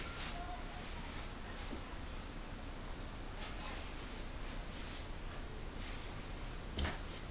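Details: Steady low rumble and broadband hiss with soft intermittent knocks, no animal voice heard.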